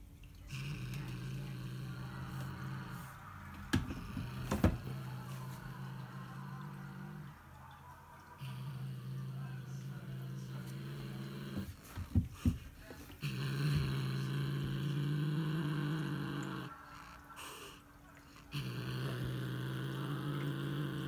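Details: A female Siamese cat growls after catching a bird, in long, low, rumbling stretches broken by short pauses and a few sharp knocks.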